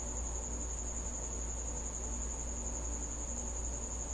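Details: At night, a cricket that has come to a house sings a continuous shrill trill at a single high pitch, with steady low-frequency background hum beneath it.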